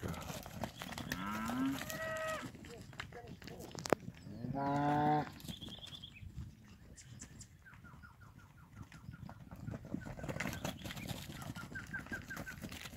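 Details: Cattle from a group of 300 kg tostado steers give two short moos a few seconds apart, among men speaking Spanish, a sharp knock and faint bird chirps in the background.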